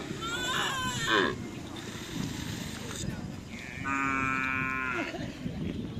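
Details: Cattle at a karapan sapi bull race in Pamekasan regency, being readied for release before a regency-level selection, many of them young. A long, drawn-out harmonic moo rises near the end, after an earlier brief call, over crowd chatter and outdoor noise.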